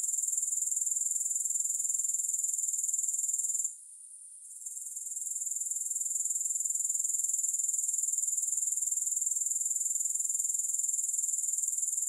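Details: Continuous high-pitched grasshopper trilling, rhythmic at about four pulses per second, briefly dropping out for under a second before fading back to full strength; no music or other animals.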